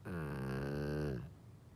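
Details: Golden retriever asleep, giving a single low, vibrating snore lasting just over a second, steady and buzzy before fading into the quiet of a small room.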